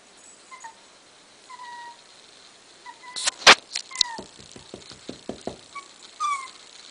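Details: A seven-week-old male puppy trying to climb down the stairs gives faint, thin whines that slide downward, spaced a second or so apart, amid sharp knocks and a quick run of taps.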